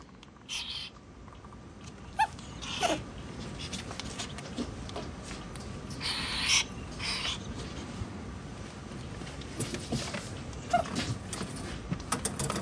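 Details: Playing ferrets Gidget, a blaze female known as the hisser, and Jinx, an albino male dooker and giggler; short airy hisses near one, three and six and a half seconds, with scratching and shuffling of play in between.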